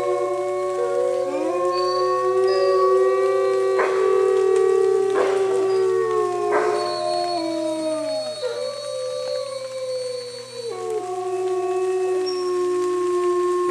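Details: Pack of wolves at Bays Mountain Park in a rainy chorus howl: sustained howls at several pitches, some dipping sharply then recovering, punctuated by a few short broken bursts before settling into steady tones.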